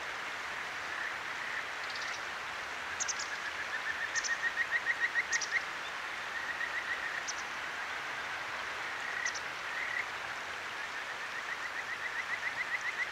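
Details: Kajika frog calling at night by a clear mountain stream in Akigawa Valley, Tokyo, recorded on a ZOOM H6: short bursts of rapid, chirping notes at a steady pitch, set over constant rushing water, with a few sharp high bird notes between bursts.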